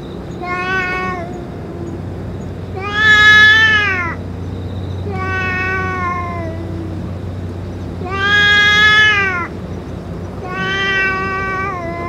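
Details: Five harmonic meows from a stray boss cat that has eaten its food and medicine, spaced about two to three seconds apart, some rising then dropping in pitch, with a faint background drone.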